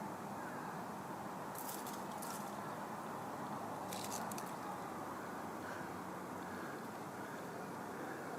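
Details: A grasshopper, given as mottled grasshopper (Myrmeleotettix maculatus) or possibly field grasshopper (Chorthippus brunneus), gives two short, high, buzzy bursts of chirping over steady background rumble.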